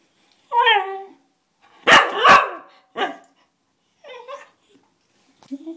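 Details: Cocker Spaniel whining and barking, eager to play with a pinged door spring: a falling whine, two harsh overlapping barks, a shorter bark, then a wavering whimper and soft low whines trailing off.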